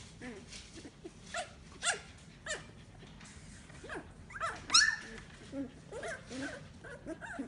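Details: Fifteen-day-old Samoyed puppies, eyes newly opened and now walking about, give thin, high squeaky whimpers and short yips in irregular bursts, with one sharper rising squeal midway and a soft background hiss.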